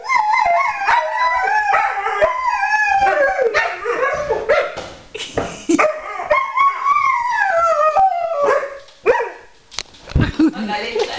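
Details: Group of Alaskan Malamutes in a chorus of howls, sliding up and down, interrupted by short yips and bark-like bursts, fading to quieter gaps before resuming.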